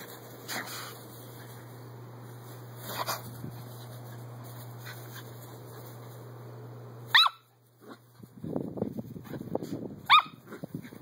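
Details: Miniature Poodle Daisy running around her back yard; after seven quiet seconds of steady low hum, two short, sharp, high barks ring out about three seconds apart, with rustling and scuffling between them.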